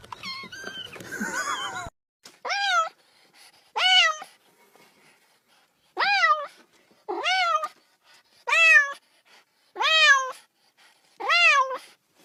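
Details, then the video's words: Little kitten playing ball, meowing to join the play: after a brief noisy start, seven short evenly spaced meows, each rising then falling, roughly one every one and a half seconds. "The cat makes a sound, wants to play too."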